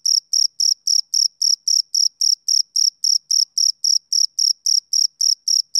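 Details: ['Male cricket giving a continuous run of high, buzzy chirps, around 21 short bursts in six seconds at a steady pace, with no other animals, wind or voices.']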